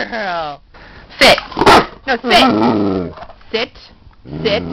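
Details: Female Great Dane vocalizing to tell her owner she needs to go out: a falling, whiny moan, sharp loud bursts, then a drawn-out groaning whine, mixed with a person's voice praising her.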